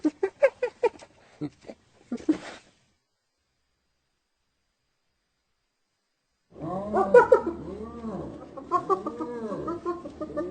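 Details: Hyena laughter: a run of short rapid yelping notes, a pause, then a fast chattering series of rising and falling whooping giggles, heard as funny or like crying.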